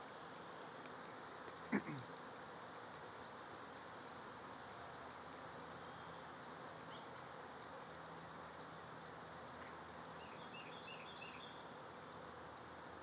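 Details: The season's third swarm from a hive clusters about 20 feet up in a redbud tree. The honey bees give a steady, low, droning hum under a noisy outdoor background.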